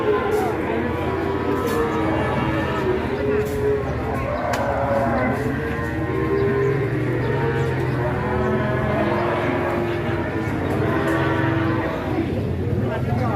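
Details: Giant Pegon cattle, a large Indonesian breed, lowing in long, steady, overlapping moos from several animals. Background music and people talking run throughout.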